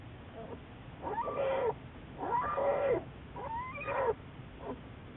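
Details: Juliet, an American black bear studied by Wildlife Research Institute biologists, recorded March 1, 2014; three drawn-out tonal calls of about a second each, wavering and sliding in pitch, separated by short pauses over a soft steady background hiss.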